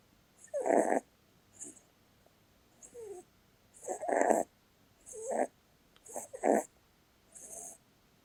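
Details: Female Holland Lop rabbit snoring while asleep, said to result from her short, flat face: raspy breaths roughly every second, some carrying a whistling, wavering tone, with quiet pauses between.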